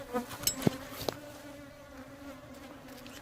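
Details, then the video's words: Aggressive honey bees buzzing at a beehive during beekeeping, a steady droning hum holding a low tone with a higher overtone, broken by a few sharp knocks and rustles. "A bit aggressive bee!!"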